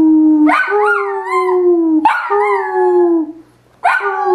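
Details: A Dachshund "singing" howls in long, mournful tones, each starting with a sharp yelp and sliding gently downward.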